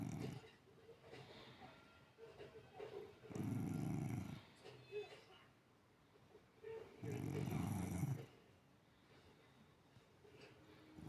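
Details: A sleeping cat snores with its eyes open, giving two long, low rumbling snores about four seconds apart, each a rough breathy drone lasting over a second, between quiet pauses with a faint background hum.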